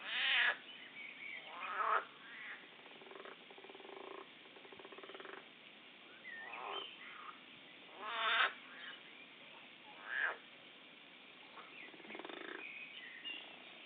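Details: Frogs fighting each other: harsh, raspy shrieking bursts with buzzy stacked bands, loudest at the start and again near eight and ten seconds, separated by quieter grating croaks over a steady hiss.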